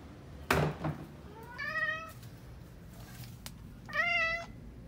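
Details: A pet cat that has run into a tight spot, its owner insisting it is not stuck, gives two clear harmonic meows a couple of seconds apart, each drawn out and slightly falling, after a sharp knock indoors.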